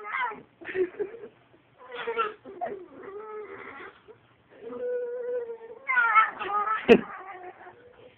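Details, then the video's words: Dachshund "talking": a series of drawn-out, whining, moaning vocal sounds that rise and fall in pitch, broken by short pauses, with a sharp click near the end. "Talking wiener dog"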